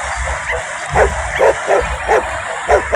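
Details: Dog barking near a village home while a woman cooks. It gives a run of short, sharp barks, roughly two a second, over a constant low hum and hiss.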